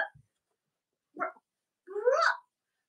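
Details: Cavalier King Charles Spaniel puppies from Robin and Myra's litters, indoors on a chilly late-October morning: two short muffled yelps, then a rising, wavering, nasal whine lasting about half a second.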